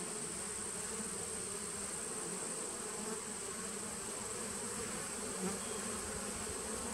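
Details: Steady droning of a honey bee nuc colony established in 2017, recorded 19 September 2018; the low layered buzz stays even throughout, with one slight swell near the end and a constant faint high hiss.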